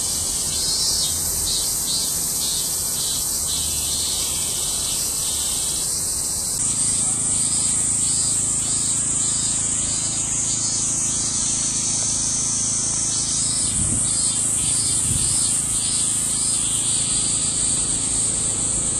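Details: A chorus of cicadas in Japan, August 2008: a dense, unbroken shrill buzzing that pulses and swells in intensity.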